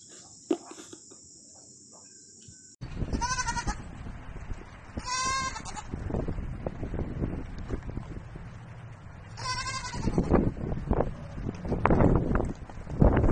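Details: Baby goats bleating three times, each call a wavering, buzzy cry with a quavering tremble, spaced a few seconds apart over heavy low rumbling and handling noise.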